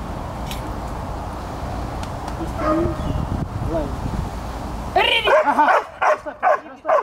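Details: Young dog making its first attempts at barking: five seconds of noisy room with Russian speech, then a quick run of about five high, arching yips within two seconds.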